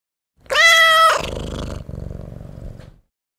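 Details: Orange stray cat with an injured eye in a park gives one loud, drawn-out, slightly wavering meow of about two-thirds of a second, followed by a softer, rough, rumbling purr-like sound that fades out.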